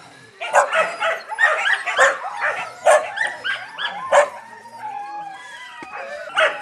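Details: Yakutian Laika puppies giving bursts of high, excited yips and short barks, clustered tightly, then thinning into a few drawn-out whining tones before a final yelp.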